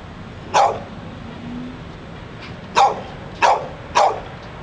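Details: Outside a bookstore in Pleasant Hill, California, a dog that would not stop barking lets out one bark, pauses about two seconds, then fires three more in quick succession over a constant background hum.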